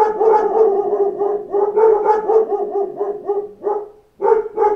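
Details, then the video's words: A pack of dogs barking in response to knocks at a door: dense overlapping barks with strong harmonic bands, repeated rapidly about three times per second, a short pause near the end, then more barking. "Wake Up to a Pack of Dogs Barking at Knocks at the Door"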